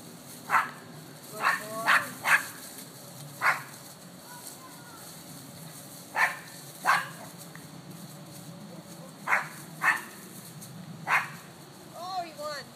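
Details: Terriers Booker and Moose running around a yard and playing tether ball; sharp barks come in irregular bursts, about eleven across the stretch, some in quick pairs, ending with squeaky whining yips.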